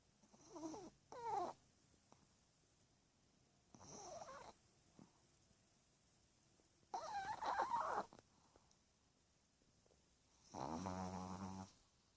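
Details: Thirteen-year-old Chihuahua asleep, snoring in four separate bursts about three seconds apart: raspy, whistling breaths with wavering tones, the last one a lower, buzzing drone, in a quiet indoor setting.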